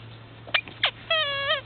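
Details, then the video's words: Komondor puppies four weeks old, from a Czech kennel litter, give two short sharp yelps followed by a longer harmonic whine that holds steady and then rises and falls at its end, over a steady low hum. "Komondor puppies 4 weeks old"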